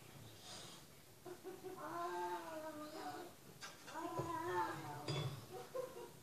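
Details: Indoors, a cat on television gives two or three falling, nasal meows about a second long each, overlapping with quiet Portuguese talk in a small room while a dog listens.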